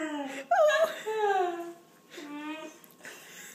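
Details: German Shorthaired Pointer indoors 'talking' and seeming to say 'please' while asking for something: drawn-out moaning whines that waver, slide up and then down, in three separate phrases, with a small-room echo.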